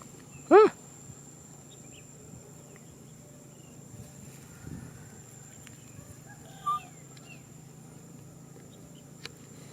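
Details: Baby macaque Nui Simon crying out for a hug: one loud, sharp, arched whine that rises and falls early on, followed by faint squeaks and a steady background hum.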